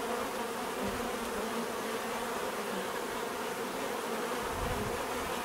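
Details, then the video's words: Many bees buzzing in a steady, dense drone, with layered hum bands in the low-mid range and no clear gaps, a continuous natural swarm sound. "bees therapy relaxing natural buzzing sound"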